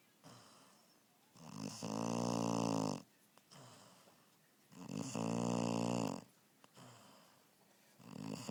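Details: Sleeping puppy snoring loudly indoors: long rasping, rumbling in-breaths lasting over a second each, about every three and a half seconds, with quieter breathy exhales between.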